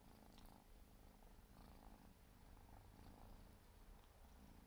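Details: Quiet, rhythmic low purring from a four-month-old Siberian forest cat kitten as it grooms, with brief soft rasps of its tongue recurring every second or so.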